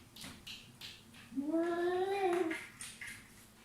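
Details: Pet cat giving a single meow of about one second, rising gently then sliding down, with light tapping and faint room noise before and after.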